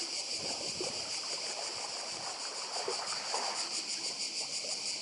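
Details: Cicadas on Badija island, Croatia, beside the sea: a dense, steady high buzzing chorus with a fast shimmering pulse, over a soft broadband wash of sea surf and faint scattered lower rustles.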